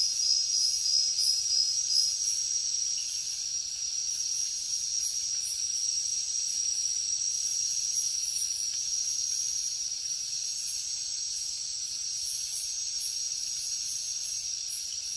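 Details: Crickets in the jungle at night: a steady, high, shimmering trill runs without pause, with fainter pulsing chirps above it that swell and fade in loose rhythm over a hushed background.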